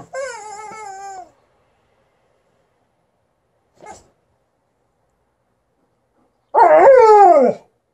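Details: Liza, a female Alaskan Malamute, sounds off angrily at her new chicken toy: two harmonic, downward-sliding whining barks, one at the start and a louder, longer one near the end, with near silence between.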